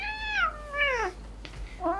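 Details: Cat meowing in protest while its claws are being clipped indoors: two drawn-out descending meows in the first second, a shorter rising meow at the end, with a soft click between.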